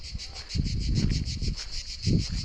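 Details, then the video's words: Crickets in a deep forest give a steady high pulsed trill, about five or six beats a second, which carries on throughout. Low rustling or footstep-like bursts break in over it, strongest around the middle and near the end. "গহীন এক জঙ্গলে গিয়ে ঝিঝিঁ পোকার শব্দে মুগ্ধ হয়ে গেলাম"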